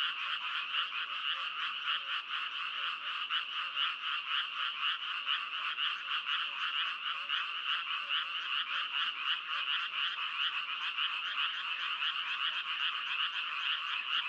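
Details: A continuous frog chorus of rapid, grating croaks runs at about two beats a second. The loose rhythm is blurred by many overlapping callers, and the sound holds steady throughout.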